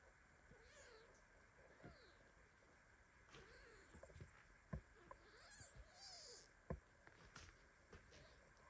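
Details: Baby kitten meowing in protest while mother cat Basi lies on top of him, shaking in his sleep; a run of soft, arching meows rising and falling, several in quick succession, with faint clicks and rustling.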